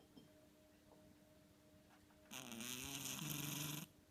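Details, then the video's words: Sleeping pet cat Ten-chan: a quiet stretch of room hum, then a single long rasping snore lasting about a second and a half, droning low underneath a breathy hiss. "いびき ねこ"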